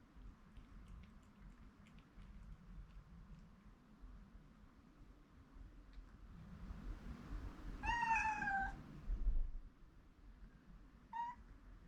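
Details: A rescued cat urgently waking its oversleeping owner out of concern: after rustling and shuffling sounds, a sharp, slightly falling meow, then a brief clipped chirp-like meow a few seconds later.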